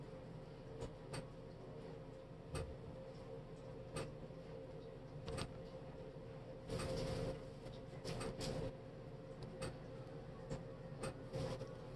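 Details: A steady low hum with scattered knocks, taps and a brief clattering rustle; no animal voice.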